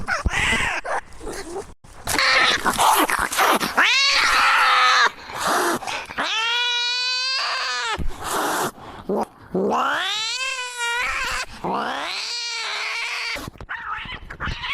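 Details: Pet cat screaming: drawn-out, tonal yowls that swell upward and then sag, repeated several times with short gaps. Some are rough and noisy, others clear and wailing.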